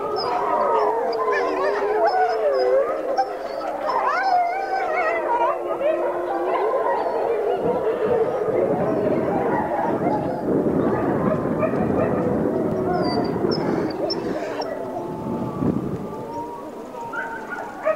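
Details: Packmates of a wolf howl together as she greets her hand raisers; many long, overlapping wailing howls glide up and down in pitch, forming a dense chorus that lasts throughout, with some background noise.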